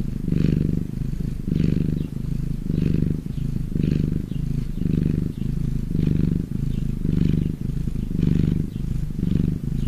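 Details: Domestic cat purring contentedly: a deep rumbling hum broken into regular breath-paced surges, roughly nine in a row, loud and close with nothing else heard.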